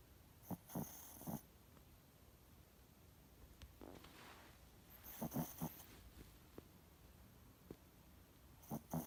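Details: Sleeping Pomeranian snoring indoors: raspy, breathy snores come in short bursts near the start, again around five seconds, and once more at the end, with quiet stretches of soft breathing between them.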